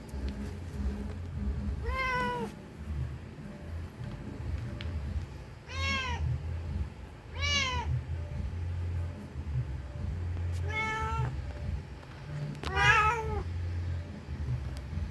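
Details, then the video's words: Mother cat repeatedly calling her lost kitten: five bright, arched meows spaced irregularly two to four seconds apart, the last one doubled, over a persistent low hum. "Suara Kucing Mencari Anaknya Yang Hilang"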